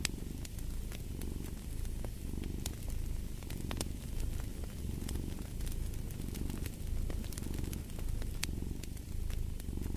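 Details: Domestic cat purring in a continuous low rumble, its breathing cycles only faintly marked, under the sharp pops and crackles of a burning fireplace.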